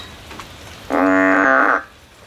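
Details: A frog climbing a tree looking for a way out gives one loud, steady, nasal droning call lasting almost a second, rich in harmonics and even in pitch, against a quiet background.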